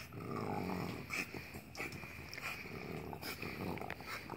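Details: A 3-year-old brindle French Bulldog gives low, rumbling growls and snorty, wheezing breaths while playing, chasing a bunny in a friend's yard.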